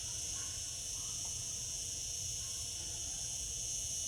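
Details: Cicadas in summer, a short stretch of a dense, even, piercing buzz with no gaps, above a quiet low hum.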